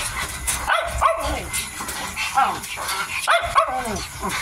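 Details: Eating Miniature Dachshund puppy, 55 days old, lets out three bursts of bent, whiny yips in quick pairs, spaced about a second apart, with smacking and chewing noises underneath.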